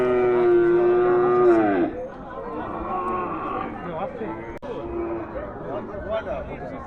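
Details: Cattle at a market where small cows are sold: one loud, steady, harmonic moo held for nearly two seconds before dropping away. Murmuring voices and market noise follow.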